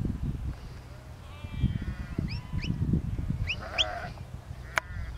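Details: Several sheep bleating in a field while Lars, a four-year-old border collie, herds them; wavering harmonic calls alternate with short rising chirps, over a steady low rumbling background.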